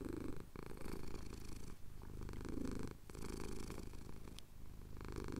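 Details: Male cat purring contentedly as his chin is scratched during a Cotswold sunrise, recorded on a Tascam DR-07X; deep, pulsing rumble broken by short breath pauses roughly every one and a half seconds.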